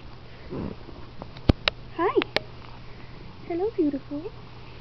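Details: Squirty, a pet cat with a bossy streak, being brushed indoors: a pair of short, bent, tonal meows near two seconds, then a string of three or four brief chirping meows, with sharp brushing clicks and a soft human voice.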